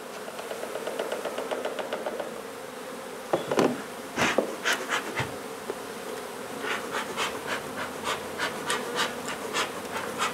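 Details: Many honey bees buzzing as a nuisance hive is taken out of an old house being renovated in Donna, Texas; a continuous drone with harmonics throughout, repeated clicks early on, then loud thumps and a rhythmic series of tapping strikes.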